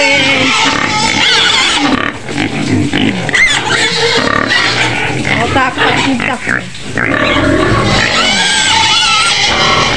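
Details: White pig screaming in its pen on the outskirts of Medan: dense, harsh, broadband shrieks in rapid overlapping bursts, briefly dipping around two and seven seconds, with human voices mixed in.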